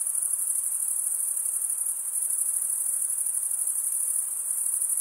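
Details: Night chorus of crickets in a summer forest: an unbroken, finely pulsed high-pitched chirping drone holding steady for the whole stretch, with soft hiss underneath.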